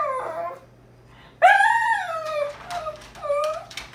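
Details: Puppy trying to escape, crying indoors: a loud, drawn-out whine that rises sharply then sags, followed by shorter whimpers and yips, with a steady low hum in the room.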